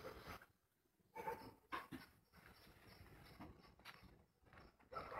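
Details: Dog giving short broadband barks in three or four separated bursts, with quiet background noise between them.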